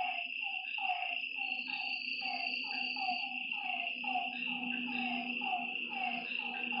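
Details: Frogs heard after dark by a lake: quick descending croaks repeat in a crowded, slightly irregular chorus beneath a continuous high insect whine, with a faint low hum.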